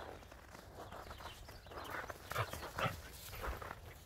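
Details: Border Collie and Jack Russell Terrier playing chase outdoors in the snow; a few short barks near the middle and end over steady rustling and scuffling noise.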